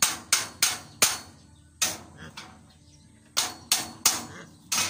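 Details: Loud, irregular hammer blows ring out outdoors with brief faint speech between strikes.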